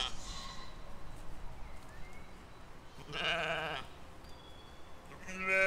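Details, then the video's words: Grazing sheep and lambs in a spring field, filmed in 2020: a strong wavering baa near the three-second mark, fainter higher calls earlier, and a fresh bleat beginning at the close, with soft background noise throughout. "8 Hours Relaxing With Sheeps and Lambs"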